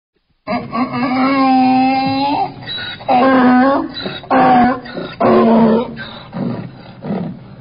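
A donkey brays loudly, a long harsh note followed by rhythmic alternating hee-haw blasts.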